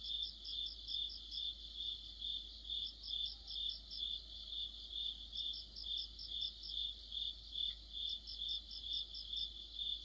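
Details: Crickets sing in an autumn insect chorus: an unbroken run of high, regular chirps, with a second caller adding rapid pulsed bursts that come and go every few seconds.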